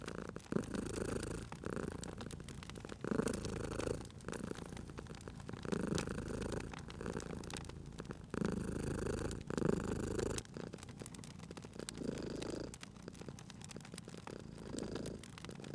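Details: A cat purrs by a crackling fire, its throaty rumble rising and falling steadily in repeated breath cycles, with loud woody snaps and pops from the fireplace over it.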